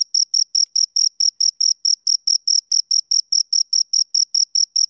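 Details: Two crickets chirping: a steady train of short, high, pure chirps repeated about every fifth of a second, with a fainter higher overtone and no other sounds.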